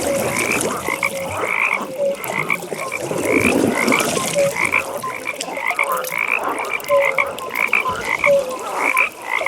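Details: Nighttime frog pond chorus: many frogs overlap in rapid, rhythmic, pulsed high croaks, with occasional deeper single notes. A dense hiss of insect-like ambience fills the background.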